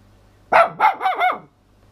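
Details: A female toy poodle gives a surprisingly loud, brief, wavering howl broken into four quick rising-and-falling notes.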